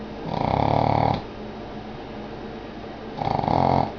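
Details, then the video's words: A Boston Terrier, sound asleep, snores loudly, two long rasping breaths separated by a quiet pause. "Snoring Boston Terrier"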